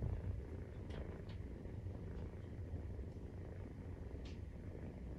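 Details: Maine Coon cat purring during nursing, kitten 43 days old; a steady low, dense rumble runs throughout, with a few faint soft clicks and taps above it.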